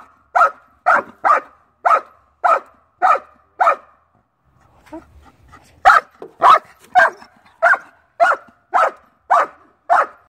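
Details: Dutch Shepherd doing a bark and hold on a decoy barks loud and sharp, roughly twice per second, in two regular bursts. A brief pause holds soft shuffling and low rumbling between them.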